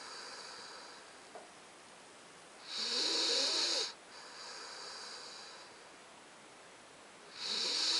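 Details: A 9-week-old Alaskan Malamute puppy snores in long, raspy, hissing breaths with softer wheezy breathing between them.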